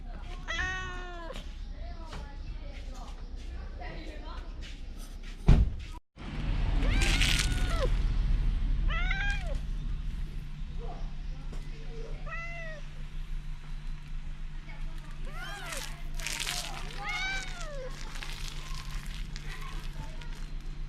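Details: Loud stray cat in the Fukugi-lined lanes of Bise, Okinawa, Japan, seemingly trying to say something: a long run of short, repeated arching meows, several a few seconds apart, mixed with people talking and a sharp bump midway.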